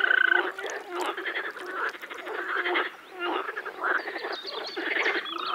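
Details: Frogs in a Czech pond or wetland in spring: bursts of harsh, rattling croaks come in uneven clusters with short gaps between, overlapping voices, and a brief tonal note at the opening.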